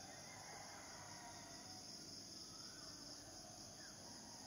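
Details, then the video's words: Cicadas produce a steady, unbroken high-pitched drone with a sharper shrill band above it, filling the whole stretch beneath a soft hiss of outdoor ambience. "Sleeping with Cicadidae"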